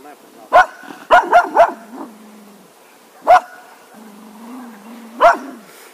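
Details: Cocker Spaniel dog barking in short bursts, a single bark then a rapid run of three, with two more well spaced later; a low droning whine fills the pauses between barks.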